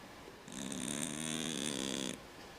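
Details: Cat snoring like a man: a single steady raspy inhalation lasting under two seconds, with buzzy layered tones, in a quiet room.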